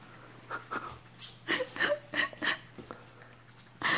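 A Shih Tzu gives quick, breathy huffs and pants in rapid bursts, with a faint indoor hum behind.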